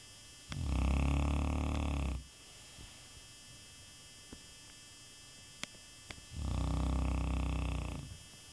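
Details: Sleeping Shar Pei, a contented dog, snoring indoors: two long, deep, rasping snores with a rattling pulse, each about one and a half seconds, separated by quiet breathing pauses with a few faint clicks.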